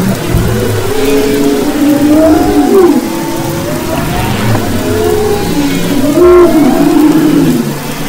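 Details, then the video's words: Singing humpback whales off Maui's west coast in February 2011: wavering tonal moans and short arching upsweeps in overlapping phrases, over a persistent low engine-like drone. "Humpback Whales and Their Songs"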